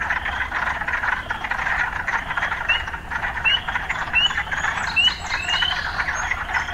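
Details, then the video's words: Urban frogs calling amid occasional sounds of city life: a dense, steady chorus hum with short upward-sliding chirps that become more frequent toward the end. "Urban Frogs"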